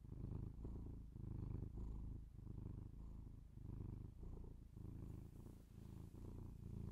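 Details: Binaurally recorded pet cat purring up close: steady low rumbling purr in regular breath-paced pulses about once per second, calm and uninterrupted, no other noises.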